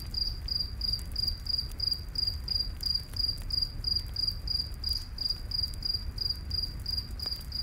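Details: High, pulsing cricket chirps run at an even pace through a night forest, each short trill evenly spaced, while a campfire snaps now and then against a soft low roar.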